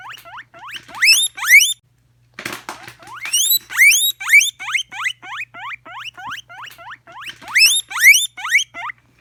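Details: Guinea pig wheeking: a steady series of shrill, upward-sliding squeals, about two per second, loud bursts alternating with softer ones, with a brief rustling noise midway.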